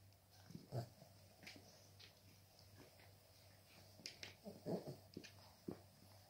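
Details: Cavalier King Charles Spaniel puppies playing with their mother make short, quiet yips, squeaks and throaty grunts in uneven bursts a second or so apart, over a faint, steady low hum.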